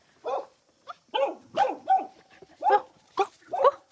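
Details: Village dog in a remote high-mountain hamlet in China, said to be very fierce, barking at arriving visitors: six or seven loud, hoarse barks spaced about half a second apart, with faint background sound between them.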